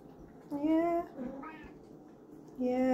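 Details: Pet cat meowing as a greeting to its owner: two clear tonal meows, the first drawn out and slightly falling, the second rising then steady, with soft murmured sounds between them.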